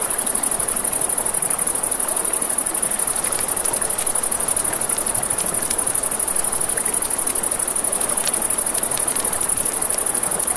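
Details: Crickets by a river at night keep up an even, shrill pulsing trill throughout, layered over constant rushing water and scattered snaps of burning campfire wood.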